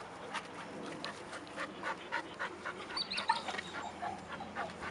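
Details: Eight-month-old young Labrador Retriever during its first lessons in retrieving a thrown stick: quick, breathy, repeated panting puffs, roughly three per second and somewhat irregular, with faint background noise.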